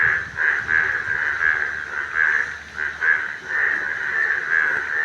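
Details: A dense chorus of yellow frogs, their rapid nasal croaks overlapping into one steady, pulsing drone.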